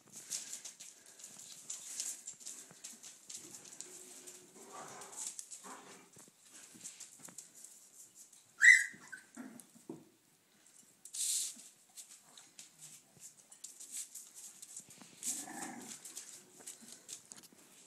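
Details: Kaiser, an adult dog, playing with two of his seven puppies; one sharp, loud yelp-like bark stands out midway, followed by a second brief burst, over steady rustling and scuffling from the play.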